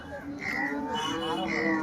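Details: Cattle at the Loni cow market, 12 August 2026, where cows giving 30 litres of milk are sold; a drawn-out harmonic moo rises and falls over crowd chatter and market noise.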